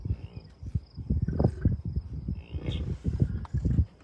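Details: Low, throaty grunting in quick, uneven bursts from a wild American bison herd with calves, recorded roadside on June 2, 2022 at Rocky Mountain Arsenal Wildlife Refuge near Denver, Colorado. Wind rumble underneath.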